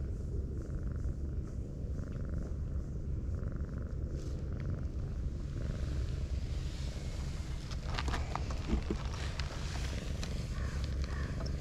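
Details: Low, constant purring from a brown tabby cat that curls into a ball like an armadillo when petted; faint tapping and rustling sounds join in the second half.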